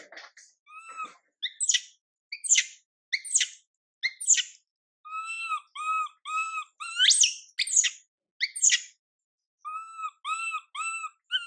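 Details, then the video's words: Young monkey Mila crying while her mother Milika ignores her; short arched, tonal coos repeat in quick bursts, broken by sharp rising squeals that climb high and drop away, with brief silences between. "Mom MILIKA doesn't care monkey MILA cry, PIty girl MILA cries out"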